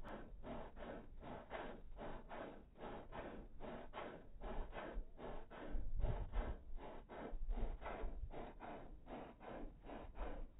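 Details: Dog panting, played in slow motion: rhythmic breathy huffs repeated about twice a second, each a broad rushing burst, steady throughout with no other sounds.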